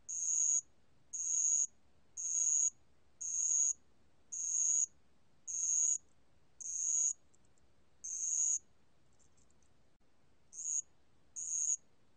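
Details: A spotted bell cricket (알락방울벌레) sings in a 2020 National Institute of Biological Resources recording: a steady series of shrill half-second chirps about once a second, broken by a pause with faint fragments before the chirps resume.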